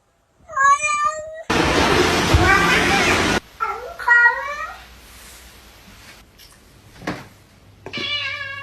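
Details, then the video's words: Pet cat meowing while people talk to it: a drawn-out harmonic meow that bends down, then a burst of loud broadband noise, a shorter rising meow, and a final wavering meow, with voices and music around. "Cats Can Talk"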